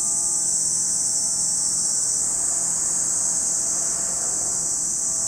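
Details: Cicada chorus at Lake Kamo, Sado City, in Japan's Niigata Prefecture: a constant high shrill whine without pause, over a faint low rumble.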